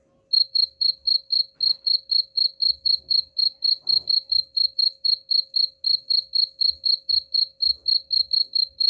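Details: Cricket song played to chase rats away: a brief silence, then rapid, regular high chirps about four a second continuing throughout, with occasional soft clicks and low background murmur.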